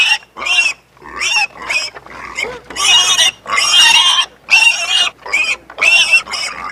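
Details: Pig on a farm squealing almost continuously in harsh, grating bursts about half a second to a second long, repeated with short breaks between them.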